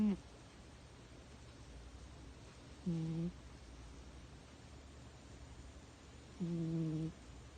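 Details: Cat snoring: two low, steady, humming tones of about half a second each, spaced roughly three and a half seconds apart, over a quiet background hiss.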